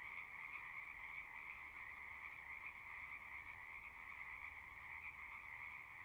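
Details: Unbroken chorus of singing frogs, countless overlapping trills merging into a steady high drone with a softer lower band, no gaps or pauses.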